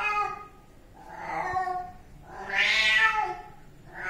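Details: Three plaintive kitten meows: a short one, then a louder, longer cry that climbs and falls, then the start of another, clear and close in a quiet room.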